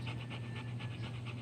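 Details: Rapid rhythmic panting from a Rottweiler, soft airy puffs repeating roughly five per second at an even pace, with a low steady hum underneath and nothing else clear.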